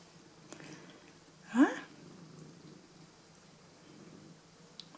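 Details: Pet cat greeting its owners as they come home indoors: a faint, steady low purr runs throughout, broken near the middle by one short rising meow, with little else besides soft room noise.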